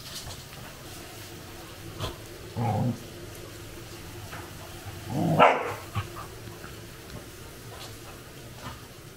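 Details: Totle, a Cardigan Welsh Corgi, playing at home with a squeaky toy; two short, low, gruff barks near three and five seconds, with scattered light clicks and a faint steady hum between them.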